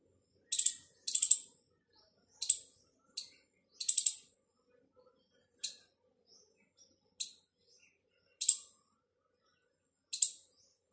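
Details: A squirrel, possibly calling its partner, gives sharp, high chipping notes, singly or in quick pairs, every second or so.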